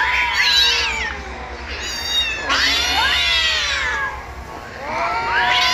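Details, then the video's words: Kittens on a rooftop giving long, loud, sweeping meows about every two seconds, several voices overlapping, over a constant background hiss. "Som de Filhote miando efeito sonoro"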